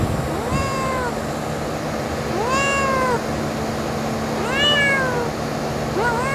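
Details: Adorable little kitten with blue eyes, outdoors in nature, giving four drawn-out meows that rise and then fall, spaced about two seconds apart, over a steady low hum.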